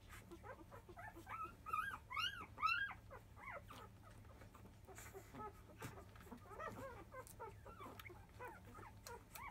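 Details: Five-day-old field Labrador Retriever puppies crying as they begin to nurse in the early afternoon: bursts of high arched squeals and whines, loudest early on, then softer overlapping whimpers, with a low room hum.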